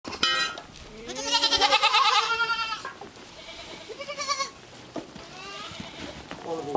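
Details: Goat kids at play in a playground set up for them, giving wavering, harmonic-rich bleats: a long quavering cry near the start, then shorter bleats fading in and out, with faint background chatter between calls.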